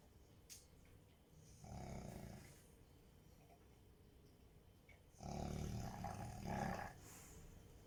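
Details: Rottweiler snoring in its sleep, two drawn-out low grating snores about three seconds apart with near silence between them.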